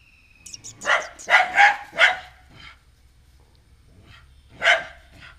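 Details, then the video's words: A female dog at home, unhappy with a newly arrived stray puppy, lets out a quick burst of four loud barks, then a softer one and a final single bark after a short silence. "Dog keep on barking at the new puppy, a stray dog"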